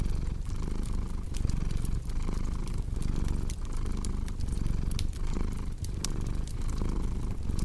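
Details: Cat's purr as a deep, even rumble pulsing with its breathing roughly every 0.7 seconds, mixed with bright snapping crackles from a fireplace.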